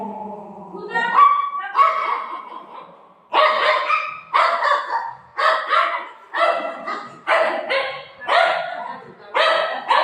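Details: Buzo, a pet dog at home, being offered food such as a banana by its family. A woman speaks at first, then a run of sharp, harmonic barks or yips repeats about once a second.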